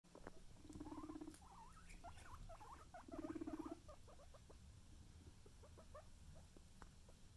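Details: Pet guinea pig making two low, buzzy, purring rumbles, each about half a second long, among soft chattering squeaks and pattering. The recording is quiet.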